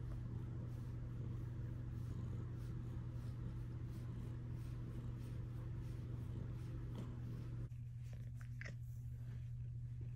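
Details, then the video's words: Luxe, a female Bengal cat, purring close up while chatting with her owner indoors: a steady low rumbling purr for most of the clip, then a few faint higher sounds near the end. "My cat talks to me. Compilation of cat chats."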